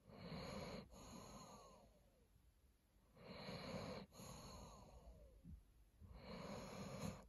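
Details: A sleeping Dobermann snores in slow, rasping breaths, each a rough, low rumble.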